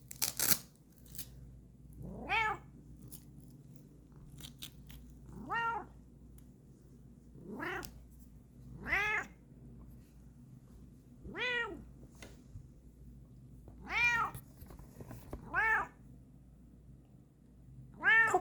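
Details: A Bengal cat being shown a lion mane wig meows repeatedly, giving short harmonic rising-falling calls every two to three seconds.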